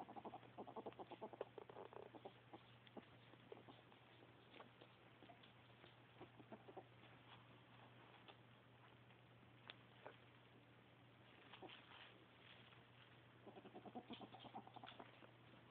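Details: Ferret described as happy, chattering in rapid clucking runs at the start and again near the end, with scattered single clicks and quieter rustling between them, all over a constant low hum.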